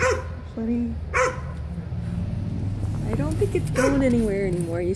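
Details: Dog facing a centipede, giving high whining, wavering whimpers that rise and fall, interleaved with short yips, while a person talks over it in a noisy background.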